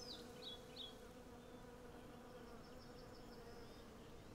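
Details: Steady droning hum from hundreds of western honey bees collecting honey among cherry blossoms, a few short bird chirps at the start and faint high twittering behind.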